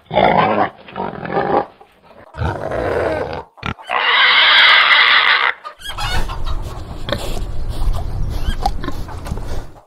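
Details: Pig with loud, harsh squeals in long sustained bursts, then a stretch of rough, noisy grunting and snorting that continues to the end.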